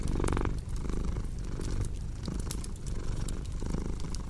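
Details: Short stretch of a domestic cat's low vibrating purr, throbbing in quick breath cycles, with crackling firewood pops sounding over it.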